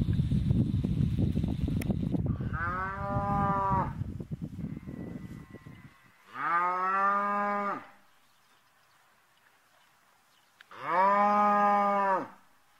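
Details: Red Brangus calf lowing three times, each drawn-out harmonic moo lasting about one and a half seconds and separated by pauses of several seconds, with a rumbling handling noise before the first call.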